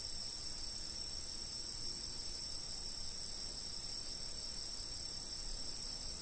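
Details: Insects calling, recorded by a fixed camera: a steady, unbroken high-pitched ringing drone from several callers at once, with faint low background rumble.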